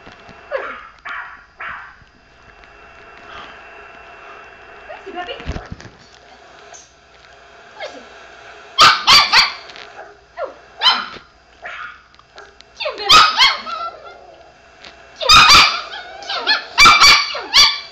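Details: Pet Chihuahua indoors barking at a recording of another dog barking; quiet opening with faint voices, then bursts of sharp, high yapping barks in quick doubles and triples during the second half.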